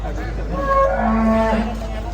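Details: Angry cow coming down from a truck at an APPSI cattle contest in 2024. One drawn-out, low, harmonic moo holds steady and then bends slightly, over a loud constant hum and crowd ambience, with an announcer nearby.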